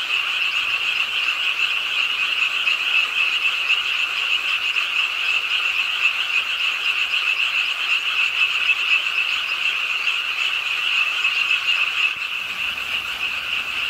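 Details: Pond-side frogs in Suwon's Ingye Arts Park, calling during nighttime rain: a loud unbroken chorus of fast pulsing croaks, with a slight shift in the background near the end.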